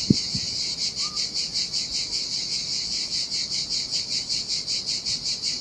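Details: Cicadas in summer heat by the Sardinian sea on an empty beach: a loud, shimmering, high buzz pulsing evenly, with a sharp low knock at the start and a brief faint tone near one second.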